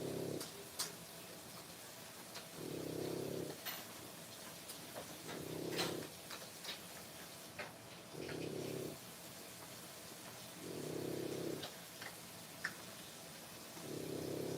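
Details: French Bulldog puppies at three weeks of age, born 1/10/25, give rhythmic low snoring breaths roughly every two and a half seconds, while sharp clicks and light rustling noises break in between.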